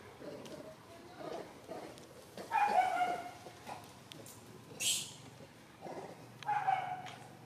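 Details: A big monkey gives short, harsh, tonal calls in two bursts that scare a baby monkey, separated by quieter rustling and a brief hiss.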